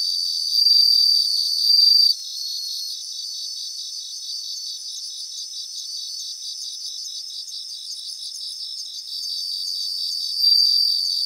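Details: A group of bell crickets in grassland gives high, clear ringing bell-like bursts at the start and end. Between them runs a long stretch of softer, rapidly pulsed trilling from many singers, with faint rippling notes above.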